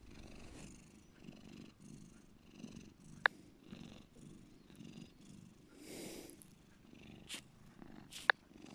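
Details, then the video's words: Bear, a domestic cat, purring softly; the low rumble is faint and breathy, broken by a few sharp ticks and rustling noises. "my cat Bear deep purring"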